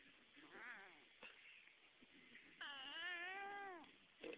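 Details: Pet cat vocalizing while being held, described as making weird noises: a short wavering meow near 0.7 s, then a longer, louder, drawn-out harmonic yowl from about 2.6 to 3.8 s with a wobbling pitch, and a brief sound at the end.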